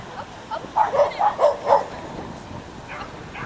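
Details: Schipperke at an unofficial agility competition in Měchenice, 27 November 2016: a quick run of five sharp, high yapping barks within a second, with human voices in the background.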